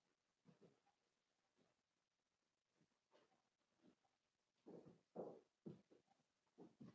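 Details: Four-week-old Cavalier King Charles Spaniel puppies from Daisy's litter in their indoor pen give soft, low grunting and whimpering bursts, quiet at first, then louder and closer together over the last few seconds in a small room.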